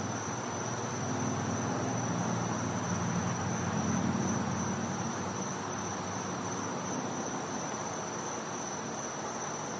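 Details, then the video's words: Cicada in a Florida home's back yard on a winter night: one sustained piercing whine, level and unwavering, with a low murmur of background noise and brief faint lower tones early on. "Cicada Sounds | Florida | Night"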